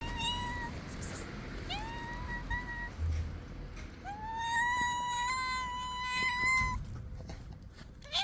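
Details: Hungry stray cats, three of them, meowing loudly while being fed; several drawn-out, slightly rising meows, one long wavering cry lasting nearly three seconds, with background rustling and clicks.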